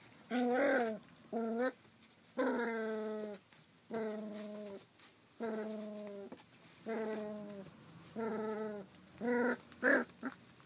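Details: Rough Collie puppy, 33 days old, filmed 28 July 2012, giving about nine steady, tonal whining cries, each lasting roughly half a second to over a second, separated by short silent gaps, with a quiet background.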